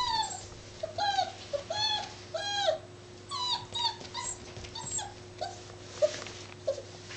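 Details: Seven-week-old Labrador Retriever puppy at play, giving short high whimpers and squeaky yelps in clusters with brief pauses, over a constant faint hum in a room.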